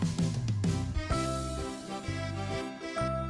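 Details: Instrumental music with bright chiming tones over a steady low bass line, no animal voice heard.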